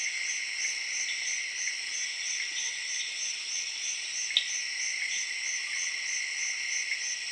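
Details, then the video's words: Zaire jungle crickets chirping in the late evening among tree frogs, a steady dense wall of high-pitched trilling with regular fast pulses and one sharp snap near the middle. "Jungle Serenade:Tree Frogs & Crickets of Zaire in Late Evening"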